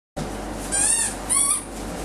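A Rottweiler puppy gives two short, high, thin whines against a steady background hiss.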